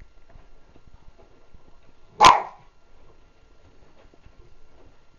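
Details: Male Cairn terrier indoors, trying to get his cushion out of the washing machine, lets out one sharp, loud bark midway through; otherwise only faint room noise.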